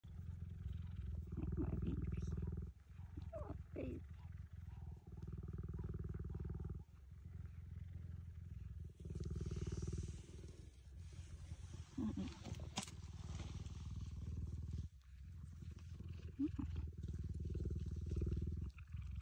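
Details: A cheetah purring with a deep, steady, throbbing rumble that pauses briefly now and then, while soft human voices murmur over it.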